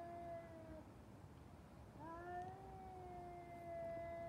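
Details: Cats fighting: a long, steady, droning yowl held at an even pitch, broken briefly then resuming slightly higher and sustained to the end, over a constant low rumbling background noise.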